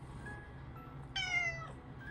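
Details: Domestic cat, one of a pair of tabby-type sisters kept as house pets, gives a single clear, high-pitched meow lasting about half a second, bright and slightly falling at the end, over soft background music tones.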